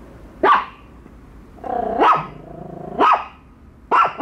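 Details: Pet dogs Bico and Faith meeting a toy dog for the first time; isolated sharp barks separated by a drawn-out, harmonic growling whine that rises into a bark.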